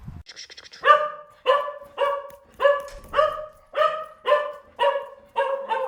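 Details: Dog barking in a steady series of about nine sharp, harmonic barks, one roughly every half second, each bark opening loud and trailing off briefly; a short high hiss precedes the first bark, with an otherwise quiet background.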